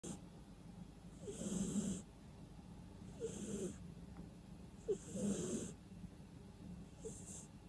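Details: Sleeping domestic cat snoring with no background music: four hissing, rasping breaths roughly every two seconds, each with a low rumbling snore underneath, in an otherwise quiet room.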